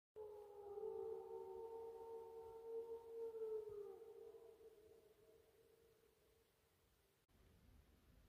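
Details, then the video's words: Several gray wolves of a pack in Minnesota howl together on an early November morning just before sunrise, in long, smooth, overlapping tones that slowly fade away. "WOLF PACK Howling In MINNESOTA"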